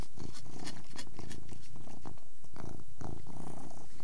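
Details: Persian cat feeding and purring: loud, pulsed low purr in rhythmic bursts roughly every half second, mixed with bright crunching and lip-smacking clicks of eating.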